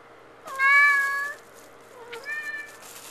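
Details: Male house cat shut in a bathroom at night, meowing because he wants out: one long, level, strongly harmonic meow, then a shorter meow that dips and rises before leveling off, in a quiet small room.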